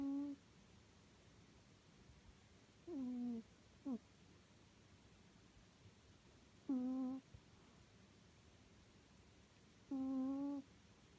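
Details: Suu, a sleeping pet cat, snoring indoors: soft, low, hummed snores with faint overtones, each about half a second long, arriving roughly every three seconds against a quiet room hiss.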